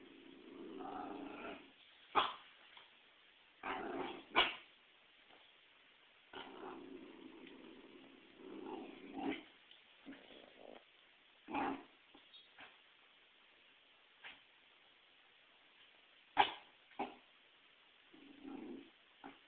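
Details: A female Pembroke Welsh Corgi, fearful of a volleyball meant for herding practice, mixes low rumbling growls with scattered sharp yips and barks. The sounds are irregular and fairly quiet over about twenty seconds.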